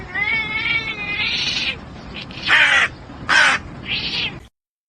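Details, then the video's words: Kitten gives a long, quavering, fairly high meow that slides in pitch, followed by several short harsh bursts and a softer final cry before sudden silence. "kitten meowing"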